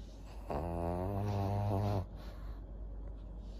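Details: Senior fawn pug Maria, a fourteen-year-old female in Japan, gives one drawn-out low voiced snore lasting about a second and a half, harmonically rich and groaning, over quiet breathing; a person murmurs softly just afterwards.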